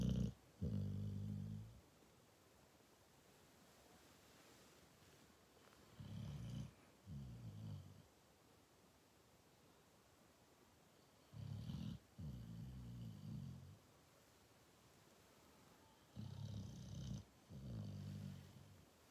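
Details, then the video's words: Sleeping Cane Corso dog snoring in a quiet room: low, rough rumbles come in paired bursts, a brief catch between each pair, with the pairs recurring roughly every five to six seconds and near-silence between. "Snooring corso dog"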